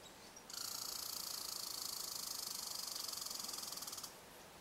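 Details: Red squirrel in Eastern Canada, interacting with other red squirrels up at a bird hide; a steady, high, buzzy rattle of very rapid pulses runs unbroken for about three and a half seconds, then stops abruptly.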